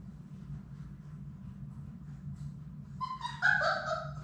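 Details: Labrador Retriever puppies, a litter of six from Sadie, playing indoors in their play room; near the end one puppy gives a rising, harmonic whine with short squeaky pulses, over a constant low hum.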